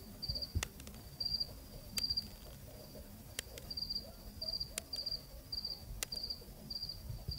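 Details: Nighttime cricket chirping recorded in Zambia, Africa: short high trills grouped in pairs and repeated about once a second, with loud intermittent clicks and a faint low rumble underneath.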